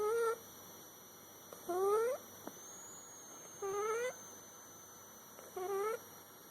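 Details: Snoring from a sleeping cat: short nasal whistles that sweep upward, four breaths in a few seconds, evenly spaced, with a constant thin electronic whine behind them.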